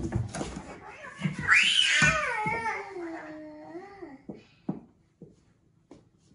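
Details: Indoor domestic cats, a Norwegian Forest Cat and a Ragamuffin, during a fight that a child breaks up: one long loud wavering yowl that rises, then slides down over about three seconds, followed by a few soft knocks and thumps.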